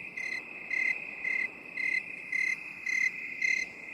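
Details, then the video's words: Binaural 8D cricket sound for relaxation: seven short, shrill chirps spaced roughly every half second, riding on a continuous high-pitched background trill. "3 HOURS OF 8D CRICKET SOUND"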